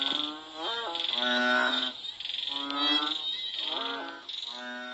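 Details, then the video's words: During and after rain in Cambodia, frogs give deep, buzzy, harmonic calls that overlap and sometimes slide upward, backed by a continuous high-pitched insect trill. "សំឡេងសត្វហ៊ីងនិងកូនក្អាត់ស្រែកយំ The sound of frogs"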